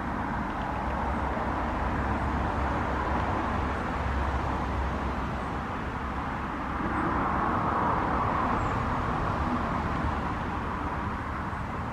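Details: Steady low rumble of vehicle traffic with broadband road noise throughout, and no animal calls.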